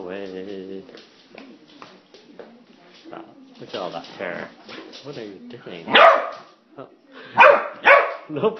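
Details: A corgi attacking a broom gives a few sharp, loud barks near the end while people talk.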